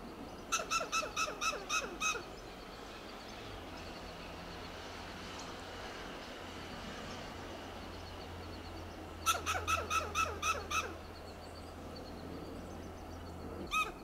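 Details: Western gray squirrel on a coast live oak in Del Monte Forest, California, giving loud alarm calls: two bursts of about seven sharp, staccato clucking notes, the second near nine seconds, plus a single note at the end over steady low hum.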